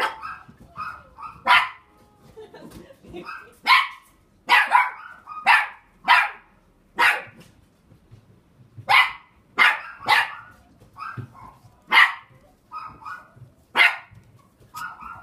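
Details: Border Collie in a pet shop in Machida, Japan, barking repeatedly: rapid, high, sharp yapping barks about once or twice a second, some in quick doubles, continuing steadily throughout.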